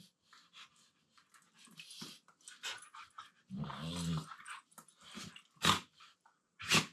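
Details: Two Siberian Huskies in full wrestling playtime in a room; rustling and panting, a deep harmonic grumbling moan in the middle, then sharp loud snapping bursts near the end.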